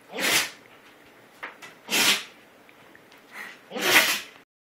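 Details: GiGi, a dog, sneezes while Rudie boxes her in play: three sharp, breathy, hissing sneeze bursts roughly two seconds apart, with softer short snorts between them, in a quiet indoor setting.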